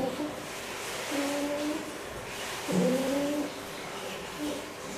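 A fox utters two long, tonal whines, the second starting with a sharp downward slide before holding steady. A fainter short wail follows near the end, all over a constant broadband hiss.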